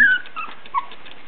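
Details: Basenji puppies, three weeks and one day old, very lively: a brief high whimpering squeal that slides downward, followed by a shorter second whine, over faint room noise.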